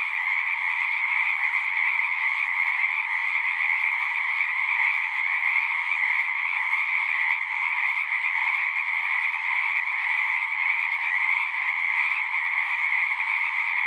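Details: Pasture pond frogs, Zoom-recorded, keep up a long continuous chorus of high, pulsing trills blended into one steady roar, with no pauses and no other animal or human sounds.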